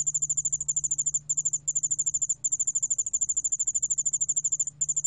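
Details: A 여울알락방울벌레 ground cricket, recorded 2020, sings a high, rapid, pulsing trill, nearly continuous with a few brief breaks; ground cricket.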